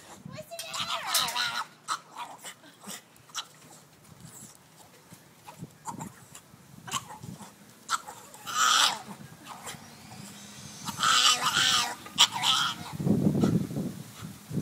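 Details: Mojo, a small Miniature Pinscher, cries when he wants his mama: high, wavering whining cries rich in overtones come in bursts near the start, around the middle and toward the end, with a lower voice-like sound at the close.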